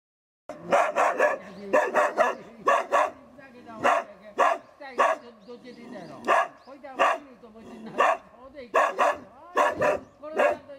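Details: Hunting dogs of a local hunting club in Tokushima Prefecture, Japan, resting before heading out to cull wild boar; loud harsh barks come in quick bursts of two or three, with short pauses between volleys and some yelping overlapping.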